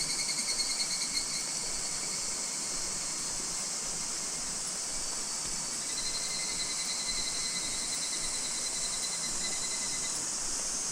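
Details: Higurashi cicadas in August 2026 in Minoh Park, Kawachinagano or Mount Koya, Japan. One nearer caller gives a pulsed, ringing phrase that swells midway and stops before the end, set against a continuous high insect chorus.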